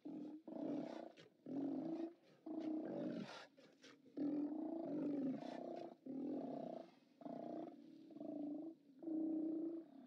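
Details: Chorus of Steller sea lions roaring at a haulout on 29 October 2017, filmed by a live cam: a steady run of rough, throaty bellows, each around a second long, following one another almost without pause.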